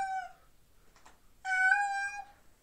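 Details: A domestic cat, said to be calling for its girlfriend and wanting to get to her through a door, gives two clear, tonal meows, a short one then a longer drawn-out call.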